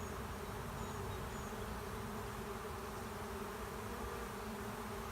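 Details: Honey bee swarm moving into an empty hive at the end of a driveway, the bees getting agitated; dense, steady low droning hum with layered tones, continuous throughout without pauses.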